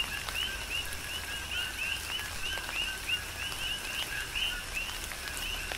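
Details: Coqui frogs calling in tropical rain on the Big Island of Hawaii; many overlapping two-note chirps form a dense rhythmic chorus, with steady rain patter and scattered drips underneath.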